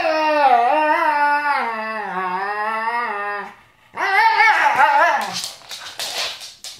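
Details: Siberian Husky kept as a pet, singing: a steady sustained howl with gently wavering pitch for over three seconds, a brief pause, then a rougher, more broken vocal phrase ending in noisy rustling.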